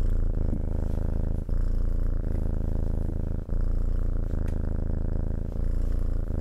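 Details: Cat's purr heard very near, a dense low vibrating hum broken by brief pauses roughly every second or two at breath changes.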